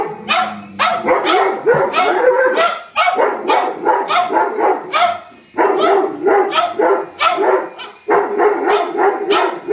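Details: A Doberman and a cocker spaniel attack a helicopter as an intruder, barking frantically. Rapid, overlapping barks come about three or four per second, loud and continuous, with brief gaps between bursts.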